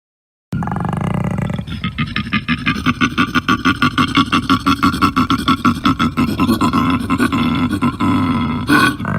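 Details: Koala. A koala produces a deep, droning bellow built from fast, rhythmic snoring inhalations and belch-like exhalations, about three pulses a second. The rasping, throaty sound runs steadily for several seconds with no other clear sounds.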